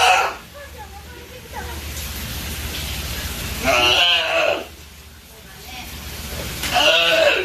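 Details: Hinata, a California sea lion pup nearing one year old, kept at Ise Sea Paradise aquarium in Japan, chases staff at the feeding preparation area wanting to be played with. Three loud, harsh, bleating cries arrive about every three seconds over steady low hum.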